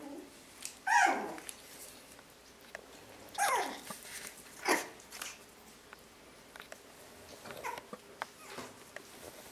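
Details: One-month-old Yorkshire Terrier puppies at play, chewing and nipping at toes indoors; a few brief gruff growls and whiny yelps rise and fall, spaced a second or two apart, with faint rustling between.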